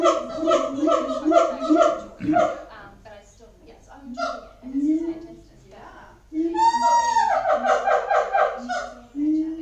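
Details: Captive siamangs at Auckland Zoo, New Zealand, booming: series of loud, harmonic barking notes repeated rapidly, a rising whoop midway, then another fast run of barks.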